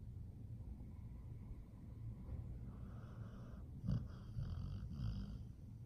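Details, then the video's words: Sleeping pit bull snoring softly: a steady low rumble throughout, with a louder snorting breath near the four-second mark and a few rougher snorts after it. "the pit bull is snoring"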